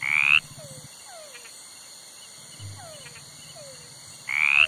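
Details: A toad gives one rising rasping croak, followed by a quiet stretch of soft descending chirps and low hum. A second croak closes the passage about four seconds later.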